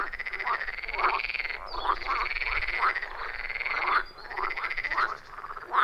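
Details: Wild frogs calling in a loud chorus around a forest pond, recorded on an iPhone 14 Pro with a Shure MV88+: dense overlapping croaking trills pulsing in bursts of about a second, with brief lulls, no music or voices.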